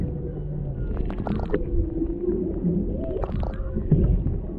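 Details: Humpback whales off Maui, Hawaii, a mother and calf near a boat with a male in the background, captured underwater on a GoPro Hero 7 Black: low tonal moans gliding between mid and low pitch, mixed with bubbly clicks and water rumble.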